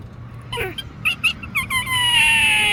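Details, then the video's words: Unusual sad yet funny-sounding squirrel call: a few short falling chirps and squeaks, then one long drawn-out whine that slowly sinks in pitch and holds to the end, over faint low background hum. "Squirrel makes a sad yet funny sound that I never heard before"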